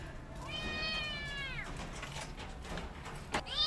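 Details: Mother cat with kittens: one long, drawn-out meow held steady for about a second before sliding downward, over a noisy background with a few clicks and a brief higher mew at the end.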